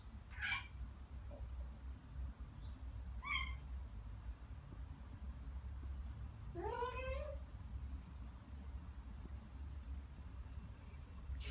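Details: Two Ragdoll cats, Ao and Aki, one year and nine months old, answer birdsong with bird-like chatter. Brief chirps are followed by one longer rising, wavering trill. A low hum stays underneath.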